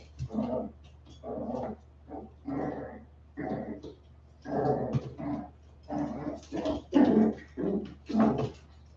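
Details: Westie puppies at 47 days old after an outdoor break, trading rapid rough growls and short yappy barks, roughly one burst per second, over a low constant hum.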